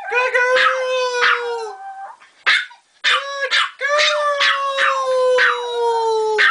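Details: Female pet dog that howls whenever called a good girl, giving sustained, clear, steady howls up to two seconds long, falling at the ends, mixed with brief sharp yips and a short pause midway.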